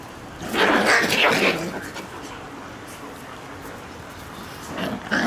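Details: Shiba Inu puppies at their daily outdoor play; a burst of loud, rough yelping calls in the first second and a half, then quiet background, with a brief sharp call near the end.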